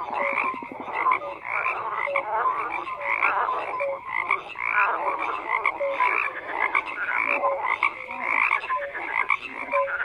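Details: Many frogs croaking together in a dense, continuous chorus: overlapping rattling, pulsed calls swell and fade in rapid bursts, with short clear tonal notes repeated about every second beneath them.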